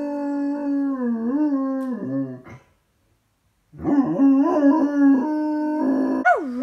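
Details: Wavering, mournful howling from Miller the dog reacting to his dropped toy. The pitch wobbles up and down, breaks off into a second of silence, then resumes with livelier warbles and a final dip.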